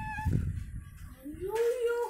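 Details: Ammu, a pet cat said to have got angry, lets out one rising, drawn-out meow near the end after a dull low thump, in a small room.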